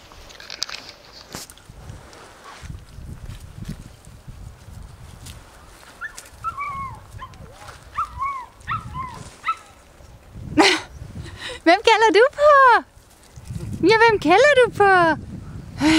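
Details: Puppies whimpering and yelping in a series of high, arched, wavering whines, mostly in clustered bursts in the second half, with a few shorter squeaks earlier; a person talks and there are rustling sounds near the start.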